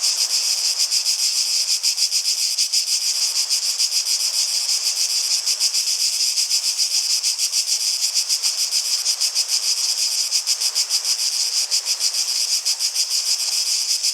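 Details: Unbroken, bright buzzing of cicadas, pulsing quickly and evenly at about three throbs per second through the whole stretch.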